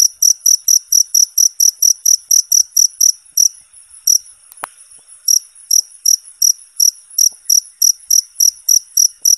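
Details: Cricket chirping as training sound for contest songbirds: rapid high-pitched pulses at a steady pace, a short break midway with a single sharp click, then the shrill chirps resume evenly.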